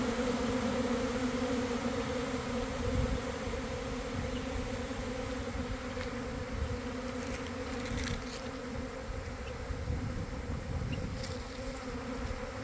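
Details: Honey bee swarm developing from a garden hive around one in the afternoon, after a week of cold, damp weather, recorded from inside the swarm: a dense, steady droning hum with a low and a higher tone, plus rumbling handling noise.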